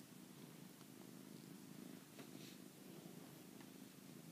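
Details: Domestic cat purring indoors three days before he died, recorded January 17th, 2013: a soft, steady low rumble with a fluttering pulse, quiet and continuous, with faint room noise.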